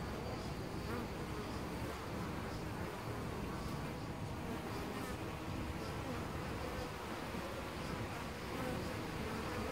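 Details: Close recording, about ten centimetres off, of honey bees using a hole in a tree trunk as a nest at Costanera Sur Ecological Reserve: unbroken multi-wing buzzing, level and dense, with occasional fleeting louder fly-bys.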